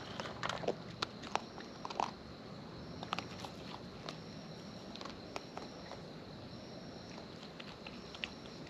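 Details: Close-up chewing from wild raccoons feeding outdoors. Sharp crunchy bites and smacking clicks come in small clusters, busiest in the first two seconds, then sparser over a soft constant hiss.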